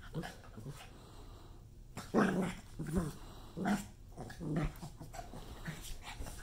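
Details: A pug, angry at an obscene hand gesture, lets out four gruff, low growls in quick succession, each a brief rumbling burst under a second. Faint human voices murmur before the growling starts.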